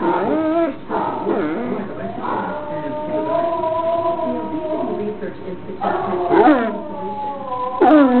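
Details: Pet basset hound howling along to recorded howls of other basset hounds: long, wavering harmonic howls that slide up and down, with brief breaks between drawn-out notes and overlapping voices.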